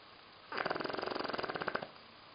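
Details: Johnny the dog sleeps and snores calmly indoors. A single rattling snore lasts about a second and a half and is made of rapid, even pulses. Before and after it the room is quiet.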